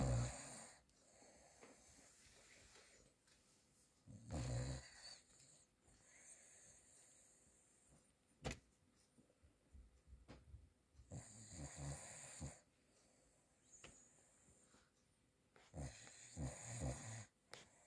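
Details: In the evening, a male Cavalier King Charles Spaniel, deeply asleep after a run in the garden, snores surprisingly loudly in raspy, wheezy breaths every few seconds.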